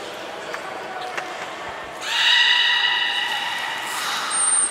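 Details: Beluga during a training session on 11 July 2020 at Port of Nagoya Public Aquarium, with belugas Taanya, Nana, Mirai and Niko. After two seconds of quiet murmur, a steady harmonic whistle holds level for about two seconds. A thin high pure tone enters near the end.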